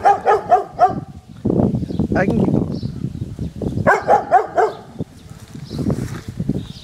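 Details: Garden dog barking at balloons on the fence, two bursts of three to four rapid barks each, separated by a few seconds of low rumbling outdoor noise.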